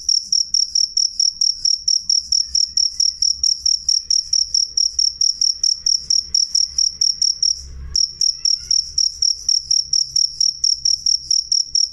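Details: Clear, loud jangkrik chirps, high and pulsing at a quick steady rate, briefly interrupted near the eight-second mark by a soft thump before the chirping resumes.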